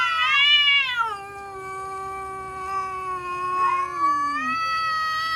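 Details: Cats threatening each other: a loud, drawn-out yowl that wavers up and down, then settles into a long, low, sliding moan that dips near the end, with a second rising wail returning late.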